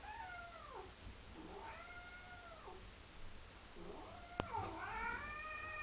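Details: Cat meows as a young cat and an old adopted stray interact indoors: three drawn-out harmonic meows, bending upward then falling, about a second each, with a sharp click near the end.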